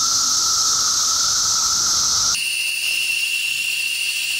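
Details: Periodical cicadas swarming trees to feed and find mates during their emergence; loud unbroken high buzzing drone that abruptly shifts to a thinner, whistle-like pitch halfway through.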